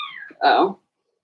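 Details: Blenheim Cavalier King Charles Spaniel puppies from Remy's first litter of six, born March 7–8, in an indoor puppy pen during potty training; a thin falling whine, then a short, louder, rough yelping cry.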